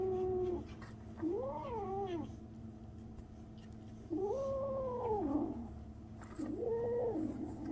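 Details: A 37-day-old kitten making odd sounds: three arched, slightly trembling mews spaced a few seconds apart, the middle one longest and falling at the end, over a quiet low hum.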